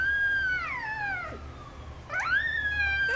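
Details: A 3-week-old female Chihuahua puppy, lying upside down, wakes from a nap among her litter at a distant ambulance siren and gives a thin, high howl that slides downward, breaks off, then rises and holds.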